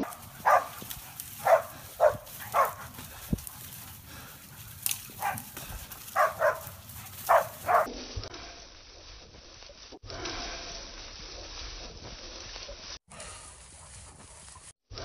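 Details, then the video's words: Six-month-old Korean hunting dog, a single-tone barker named Hebat, on its first wild boar hunt for pest control: loud, evenly pitched barks repeat about once a second for eight seconds, then fade into quieter, cut-up outdoor background. "만 6개월 단성개 헤밧 첫 유해조수구제활동 멧돼지 사냥"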